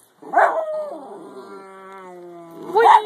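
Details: Topper the 10 lb Jack Russell Terrier howls while playing with his owner: a sharp yelp opens into a long, steady, tonal howl held for about two seconds, ending in another loud rising yelp.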